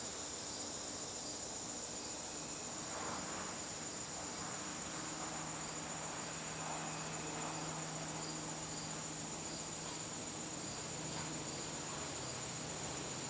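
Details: Crickets in a garden on a September evening give a steady, shrill high trill. A softer pulsed chirping sits just below it, over a faint low hum and diffuse background noise.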